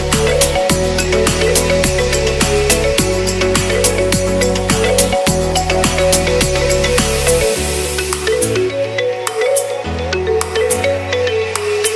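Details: Bright electronic music with marimba-like mallet notes over a pulsing bass line runs throughout, with no barking or other animal sound.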